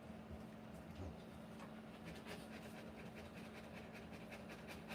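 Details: Rottweiler panting while giving birth to puppies; fast, breathy, rhythmic panting builds after the first seconds and continues steadily over a constant low hum and background noise.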